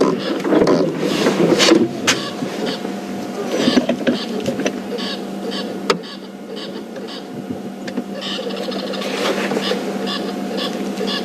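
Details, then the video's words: Squirrel alarming at Buffelshoek Dam near the resting Matimba male lions as elephants arrive, flicking its tail while perched on a dead tree; short squeaky chattering bursts repeat irregularly over a steady low engine hum. "You can hear the noise of a squirrel alarming."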